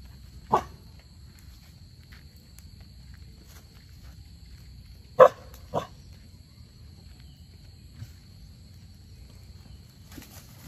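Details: A dog chasing a squirrel gives a lone bark, then after a long quiet gap two quick barks close together and a faint fourth, over a low rumble and a steady thin high tone.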